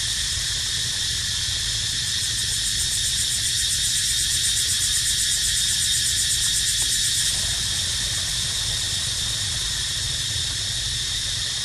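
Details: Cicada crying in a baby monkey's surroundings: an intense, continuous high buzz that swells and pulses faster for about seven seconds, then settles to a slightly softer steady drone.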